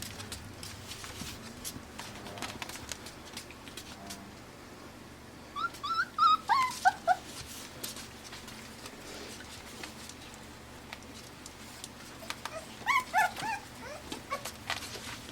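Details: Five-week-old AKC Pembroke Welsh Corgi puppies in Arkansas, born June 20, 2026, playing with toys and each other indoors: two bursts of high, falling, whimpering yips in quick strings of short notes, separated by quiet stretches with soft clicks and room noise.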